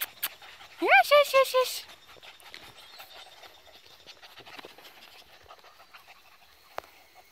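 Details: Fourteen Border Collie puppies at play in a field: one rising whine climbs into a quick run of four short, clipped yelps, followed by soft rustling and low outdoor background noise.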